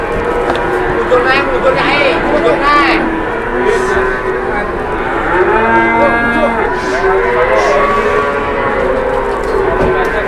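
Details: Very large, heavily built cow in Indonesia mooing: long, low, drawn-out tonal lows with rich harmonics, several overlapping calls across the clip, with faint background noise.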